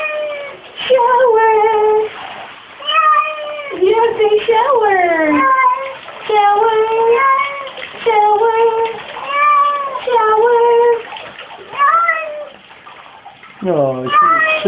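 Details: Domestic cat Glu, female, talking while being showered: repeated drawn-out meows, several with sliding or arching pitch, and a sharp falling cry at the close.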